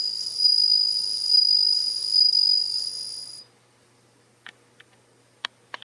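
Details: Bell crickets kept at home in Japan, about ten insects hatched from last year's eggs with only one female, singing in early September as autumn deepens: a loud, steady ringing tone with bright overtones for three seconds, then stopping, followed by a few faint clicks.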